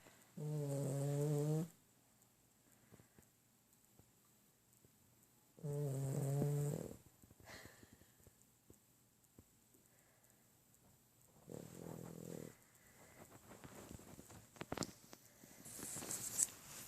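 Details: Small dog snoring loudly for its size: deep, droning snores about every five seconds, each a low buzzing rumble lasting over a second, with faint hiss and rustling between.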